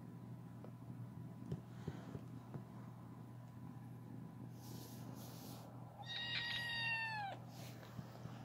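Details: A female kitten wanting attention while being petted purrs steadily in a low, even rumble, then gives one clear, falling meow to ask for more attention.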